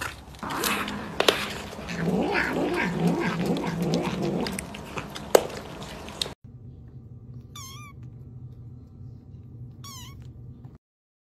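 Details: Kittens: about six seconds of low, wavering, drawn-out meows over a rough, noisy background, then quieter hum with two short, high, arched mews about three seconds apart.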